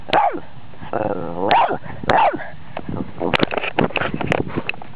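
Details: A Boston Terrier barking at electronics gives short, arched barks mixed with whiny, rising yips and whimpers.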